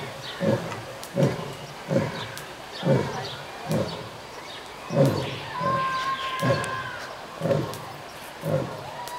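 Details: At Tierpark Hellabrunn zoo, a lion gives a series of deep, hoarse grunting roars, each pulse coming roughly every second.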